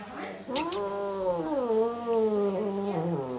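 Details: Grumpy female cat living in a German animal shelter, habitually "talking" and commenting; a single sustained, wavering, complaining meow lasting nearly three seconds, gently rising and falling in pitch, with faint low hum beneath.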